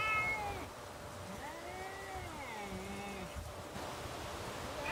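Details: Cats facing off in a neighbourhood standoff, one long low moaning growl-yowl bending up and down for about two seconds, with fainter higher wavering cries above it over a constant hum.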